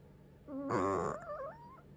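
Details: Senior cat in Singapore snoring while asleep indoors: a wavering, harmonic nasal tone, rising into a loud rasping burst before sliding back to a thin whistling breath.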